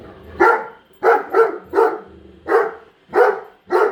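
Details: A female Great Dane barks persistently at a new Roomba vacuum indoors; loud coarse barks repeat at an uneven pace, about one every half second, some doubled, with vacuum hum between.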